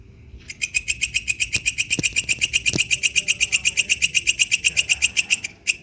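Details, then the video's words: Wild katydid, known locally as walang kecek, singing outdoors: a steady train of dry, buzzy, high-pitched pulses, about four per second, that starts after half a second and runs nearly five seconds before breaking off. "suara asli walang kecek dialam liar"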